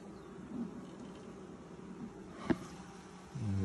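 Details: Honey bee colony during its first hive inspection of 2020, six days after nucs were installed, workers building out frames; a steady low droning hum fills the clip, broken by a sharp clunk midway and a louder burst at the end.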